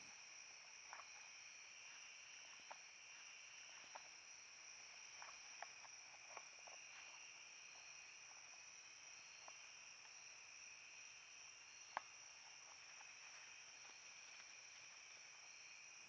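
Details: An evening chorus of crickets and katydids at dusk in late summer, nearing autumn, at a forest clearing on a wildlife corridor: a steady high shimmering trill with a few soft clicks.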